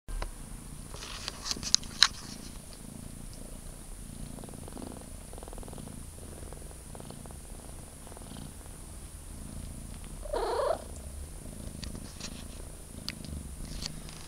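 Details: Three-week-old kitten purring indoors, a soft continuous low rumble in steady pulses throughout, broken once near the end by a short rising-falling high mew; faint clicks and rustles early on.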